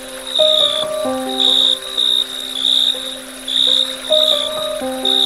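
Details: Crickets chirp at dusk in high, shrill bursts, with frogs, flowing water and soft melodic music underneath.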